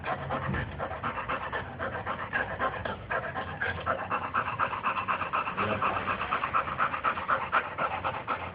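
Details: Female Boxer dog panting while playing, a fast steady rhythm of breathy puffs about four per second, continuous through the whole stretch.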